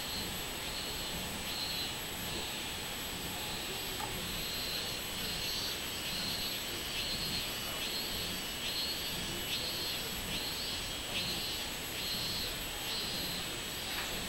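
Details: Robust cicada, 24 July 2016: steady high buzz with regular pulsing beats roughly every second, continuing evenly across the recording.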